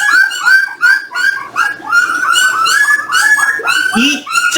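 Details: Jindo puppies, eighteen days old, during weighing with the parent dogs: a dense, steady stream of high, downward-curving whimpers, several per second, overlapping and rich in overtones.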